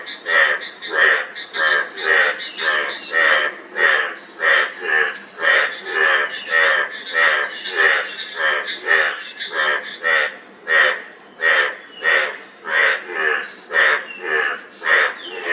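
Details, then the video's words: A frog gives fast, rhythmic croaks, nearly two per second, in an unbroken series, while insects buzz steadily at a higher pitch. "Frog Sound--Frog Sound Effect"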